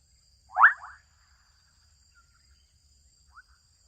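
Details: An adolescent frog in a Kenyan wetland gives one loud, quick upward-sweeping croak, followed by faint, brief answering calls.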